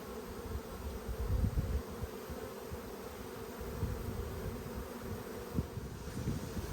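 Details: Steady buzzing of a strong honey bee colony opened for inspection in Australia during a summer dearth, February 2022. The continuous low drone comes with dull knocks and thumps from frames being handled.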